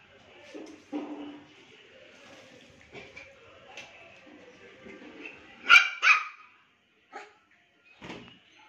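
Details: Pomeranian dog barking when a woman arrives, two sharp high yapping barks close together near the middle, then a few shorter, fainter yips; soft background sounds and quiet voices earlier.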